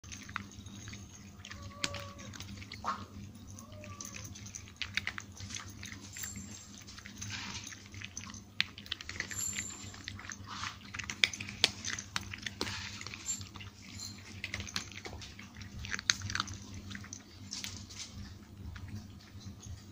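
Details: Nine domestic cats in Portugal crunching dry food at breakfast and snack time: dense, irregular sharp crackling bites and clicks over a steady low indoor hum, with a few faint tonal squeaks early on.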